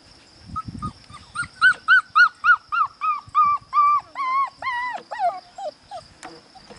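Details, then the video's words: Five-week-old puppies from a Priscilla and Max litter whimpering in a long run of about twenty high, arched whines, steady and closely spaced, swelling louder mid-run then breaking into shorter yelps near the end, with a faint steady electrical hum behind. "Priscilla x Max pups, 5 weeks old"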